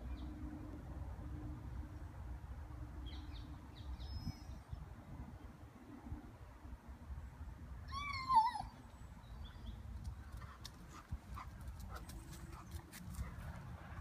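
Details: Rhodesian Ridgeback Hera, a 16-month-old dog, talks to squirrels in Gunnersbury Park, London: one short, wavering, whine-like vocalization mid-clip, over steady low wind rumble with faint bird chirps and light rustling.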